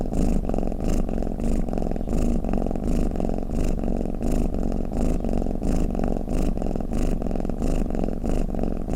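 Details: Domestic cat snoring, offered as a sound to lull other cats to sleep: a steady low rumbling purr with soft rhythmic pulses and a faint breathy hiss rising and falling throughout, recorded indoors.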